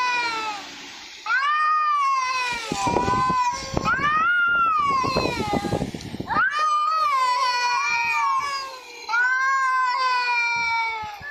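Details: Repeated wavering meows from a talking domestic cat, with pitch bending up and down, broken by loud noisy bursts in the middle before two more clear drawn-out meows.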